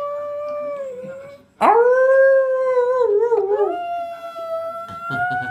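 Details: Jack Russell Terrier howling: a steady held tone, a short gap, then a loud rising howl that wavers and bends before settling into a long level note.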